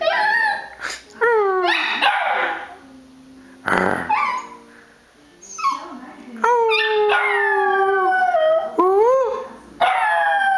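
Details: A pet dog named Tom Hanks howling: drawn-out, wavering tonal howls that swoop up and down in pitch, broken by short yelping bursts and brief pauses, about eight phrases over ten seconds.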